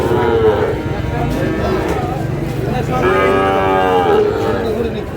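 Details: Sahiwal bull calf bought by a farmer from Noakhali, Bangladesh: a low lowing moo near the start, then a longer, stronger, harmonic-rich moo in the second half, over steady crowd chatter and background noise.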